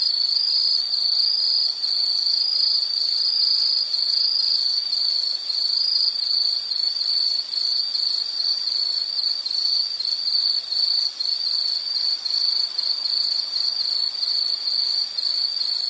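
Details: Nature recording of an insect giving a sustained high shrill trill, even and continuous throughout, with a faint fainter buzz higher up and no other distinct sounds.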